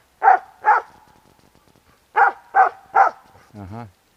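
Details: Dog called Bek barking at a squirrel that climbs a tree trunk outdoors: two sharp barks, a short pause, then three more in quick succession, ending with a brief human voice.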